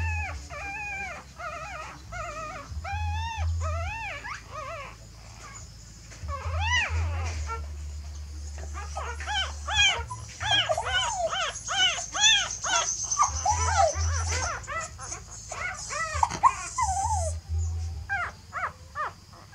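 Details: Young puppies crying while the mother dog carries them off to change the nest: bursts of shrill up-and-down whines, a quieter stretch midway, then dense overlapping squeals, with a low hum throughout.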